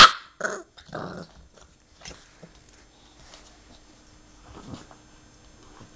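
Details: Two English Bulldogs playing indoors: a sharp, loud growling yelp opens, followed by two short rough growls in the first second, then quieter rustling and faint snuffling.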